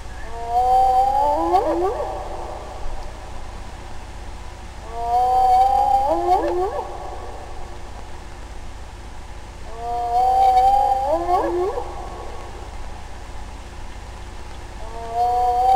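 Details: Spotted hyena giving a long tonal note followed by a cluster of overlapping gliding swoops that bend up and down, the phrase repeating about every five seconds over a steady low hum.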